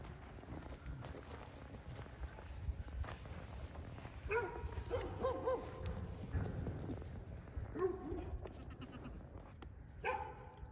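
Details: Baby Pygmy goat, a registered farm animal at a farm in Knoxville, Tennessee, running, jumping and playing; several short harmonic bleats near the fourth, fifth, eighth and tenth seconds over a steady low rumbling background.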